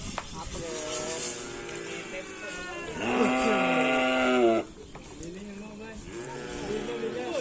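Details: Cattle from a karapan sapi bull-racing team at a gathering event: a loud, steady, harmonic moo of about one and a half seconds, with people talking and other rough lowing calls before and after.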